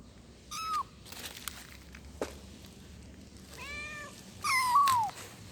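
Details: A kitten calls for its mother: a few short, bright meows separated by quiet gaps, the last one a longer, wavering call that slides downward; faint handling noises between calls.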